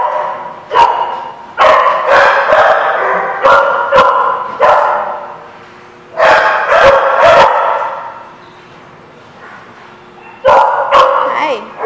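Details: Dogs at a lot, April 29, 2016; loud harmonic barks in irregular clusters of two to four, about two per second, with pauses between bursts and a low murmur underneath.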